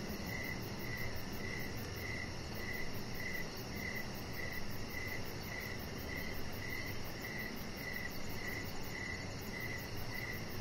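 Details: Evening crickets heard from a deck: a regular train of brief bright chirps, about two per second, layered over a rapid shrill pulsing trill and a soft broadband background hiss.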